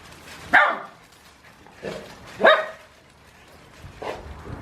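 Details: A male Boerboel tearing down a creeper, recorded on a Canon SX60: four short, sharp barks spaced a second or so apart, the loudest near the middle, while a man talks to him.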